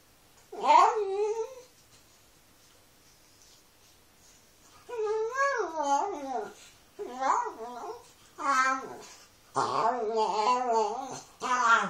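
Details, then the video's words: Domestic dog giving a 'talking' performance: one yodelling whine, a pause, then a run of wavering, arched howls that grow rougher and more insistent toward the end, recorded indoors with nothing else audible. "Funny talking dog video"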